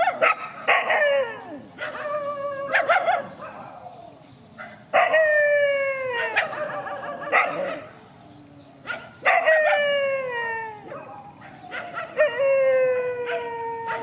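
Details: Countryside dogs facing each other in a field, giving drawn-out falling howls in several bouts, each long tone sliding downward with bright harmonics, broken by short yelping notes and brief pauses.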